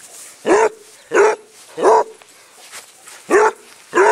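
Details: Squiggy, a basset hound rescued in Phoenix, Arizona, barks while being chased in play across a small patch of grass; five deep, full barks spaced roughly half a second to a second apart, with quiet background between them.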